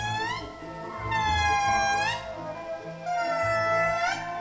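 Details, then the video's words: Indri, the largest lemurs, living in small family groups, gather in the morning to give territorial song: loud, wailing, upward-swooping tonal notes every two seconds, audible over 2 km, warning other groups away; soft background music. "Every morning, the indri gather to make these distinctive calls."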